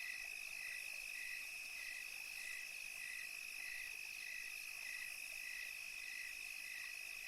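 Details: On a calm European summer night, crickets give steady, evenly spaced chirps repeated roughly every half second, layered over a continuous shrill background trill.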